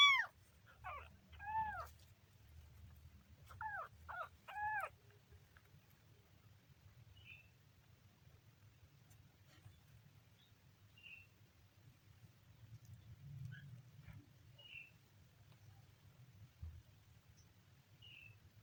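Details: Kitten giving a quick series of short, high, arching meows with rich harmonics, about five in the first five seconds, then near silence broken only by faint soft chirps and low background rumble.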